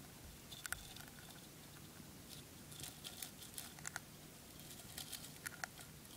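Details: Spray millet being eaten by a dwarf hamster: light, crisp bites and crunchy clicks, sparse at first and then in quick runs of sharper snaps, over a low room hum.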